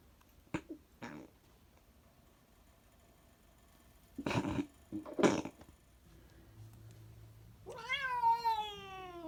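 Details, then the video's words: Domestic cat in a small indoor room making odd noises: a few short broadband bursts and brief huffs, then a long harmonic meow that rises and slowly falls near the end. "Weird cat noises"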